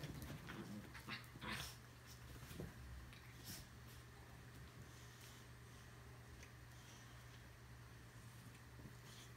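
A Boxer dog makes short, breathy grunts and snorts with a faint whimper, bunched into the first few seconds. After that only a steady low electrical hum remains.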